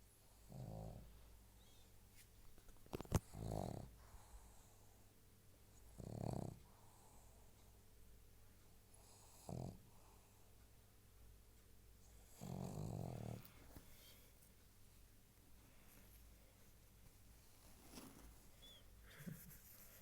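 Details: A pug snores softly, giving short, low, rumbling snorts at uneven gaps of a few seconds, with quiet breathing and a sharp click in between.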